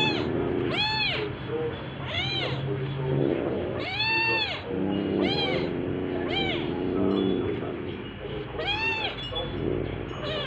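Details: House cat meowing repeatedly in a home with an orange cat and a calico, filmed near the orange cat's second birthday: about eight bright, arched meows, some long and drawn-out, some short, over a constant background hum.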